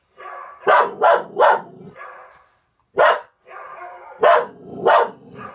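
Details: Overexcited house dog, one of a Norwegian Elkhound and German Spitz pair, reacting to a dog shown on television; quick sharp barks, three in rapid succession then single and paired barks, with hoarse trailing noise between.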